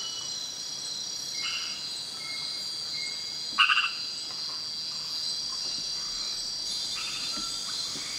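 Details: Frog calling at night in Kubah National Park, recorded on a Panasonic GH4: one short, loud, pulsed rattling croak mid-clip, with fainter brief calls before and after, over a steady shrill insect drone.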